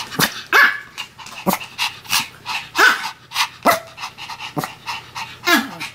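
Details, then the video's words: Two Pomeranians, Sam and Marin, bark together in a duet. Sharp, high yaps come in quick irregular bursts, roughly one or two per second, with some brief rising yelps between them. "犬の鳴き声 ポメラニアン サム マリン デュエット吠え"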